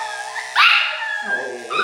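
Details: An uncooperative 3-month-old male Miniature Schnauzer puppy at his second grooming lets out a sudden loud, shrill yelp of protest over a steady clipper buzz.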